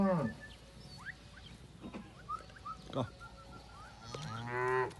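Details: Simbra cattle from a herd of 70 cows with 70 calves: a short descending moo opens, a longer harmonic moo closes, with scattered bird chirps and rustling between.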